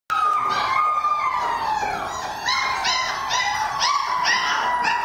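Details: Flip, a Border Collie awaiting adoption, recorded 10 March 2011, gives one long continuous howl that starts high and slowly slides lower, then turns wavering and pulsed in its second half, with little background sound.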